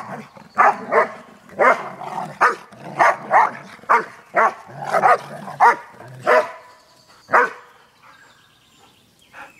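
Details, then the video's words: Two playing Airedale Terriers on vacation give a run of rapid, gruff barks, roughly two per second, easing off into quieter sounds after several seconds. "Playing Airedales"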